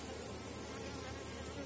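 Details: Buzzing mass of honey bees on a packed brood frame during a late-season hive inspection of strong, selected colonies; an even, continuous low hum without breaks.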